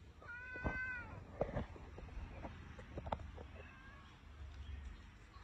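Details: A pet cat gives a single short meow near the start with a rising then falling pitch, followed by scattered soft taps and clicks over a low background rumble.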